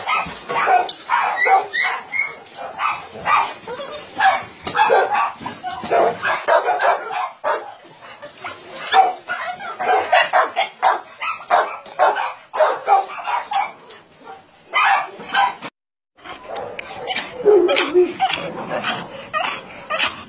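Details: Many dogs at a meat farm and puppy mill in Nonsan, South Korea, filmed in January 2017, bark in dense overlapping bursts, with a short silent break near sixteen seconds before the barking resumes.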